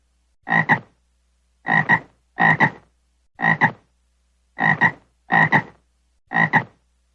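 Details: A frog gives harsh, buzzy croaks, each split into two quick pulses, seven calls at uneven intervals of roughly one second against a completely quiet background.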